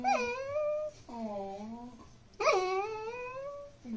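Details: Ginger, a Pembroke Welsh Corgi puppy, watches her family at dinner and tries to win their attention with long whining moans that bend up and down, two drawn-out cries with a brief pause between, indoors.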